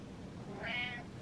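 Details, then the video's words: An attention-seeking indoor cat gives one short, slightly rising meow against a quiet room background. "Cat Tells Man He Wants Attention"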